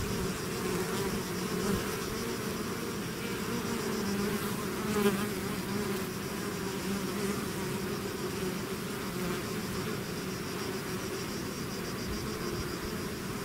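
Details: Natural sound of a honey bee swarm emerging from its hive: a continuous deep hum of many wings, slight wavering pitch, one louder close pass midway, steady to the end.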